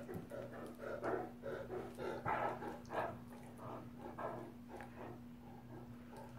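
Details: Great Dane brothers roughhousing in play; a string of short, rough growling grunts comes in uneven bursts, louder through the middle and easing toward the end, with a constant low hum underneath.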